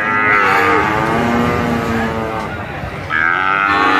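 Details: Brahman bull herd calling, layered sustained moos with rich harmonics running almost without a break, one call swelling louder toward the end amid a steady murmur of other animals.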